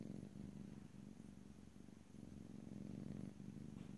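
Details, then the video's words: Domestic cat purring steadily, recorded in stereo from ear to ear with no talking; a low rumbling purr with fine pulsed texture, swelling and easing with each breath, and a faint high steady hum in the background. "ASMR Cat: Purring"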